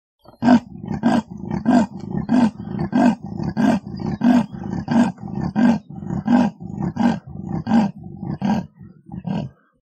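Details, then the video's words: Leopard roaring: a steady series of hoarse, rasping, sawing grunts, each short and coarse, repeated about one and a half times per second for the whole stretch, with no other sounds. "EL LEOPARDO - El rugido (sonido)"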